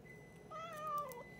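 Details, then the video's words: Boots the cat talking indoors: a single drawn-out meow just over half a second long, steady then gently wavering and falling slightly at the end, rich in harmonics, over a quiet room hum with a faint electronic tone. "Boots talking"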